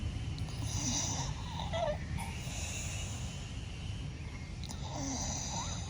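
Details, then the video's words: Blue Staffordshire Bull Terrier named Bella, asleep indoors, snoring loudly: a steady low rasping rumble throughout, with faint whistly rises now and then over the breathing. "FUNNY STAFFY SLEEPING AND SNORING"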